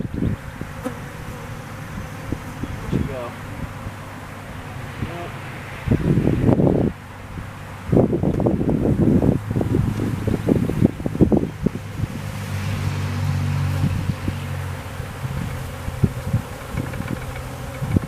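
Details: Swarm of honey bees at home being hived by a beekeeper, low steady droning hum throughout, broken by loud bursts of handling and knocking from the hive work, with brief speech.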